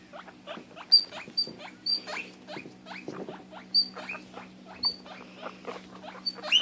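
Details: Female pet guinea pig calling out when she cannot find or see her sister: loud, shrill upward-sliding squeals, several in quick bursts with quieter ones between, over a steady low indoor hum.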